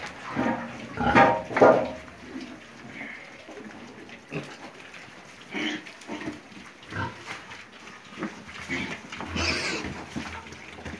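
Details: Piglets grunting: two loud, harsh, rasping grunts close together near the start, then scattered softer snorts and grunts and a brief high squeal near the end, in a small enclosed space.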